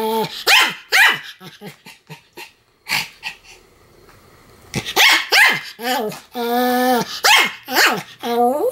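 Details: Pomeranian barking continuously: quick runs of short yaps, a quieter pause, then sharp barks and drawn-out whining barks with steady pitch.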